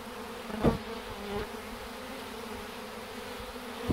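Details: A swarm of bees marching into a hive box toward their queen's scent, some fanning wings at the entrance to spread her pheromone; a steady low droning hum, with a sharp knock near the start and a softer one after.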